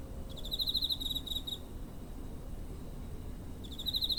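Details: Cricket chirping near a home in September 2023, captured on a TASCAM DR-05; two bursts of rapid high pulsed trills, the first about 1.3 seconds long, the second starting near the end, with steady low background rumble.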